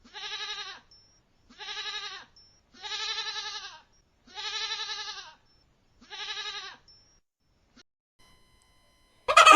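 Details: Goat bleating five times, each a quavering, nasal call lasting under a second, spaced about every one and a half seconds, followed by a burst of noise at the end.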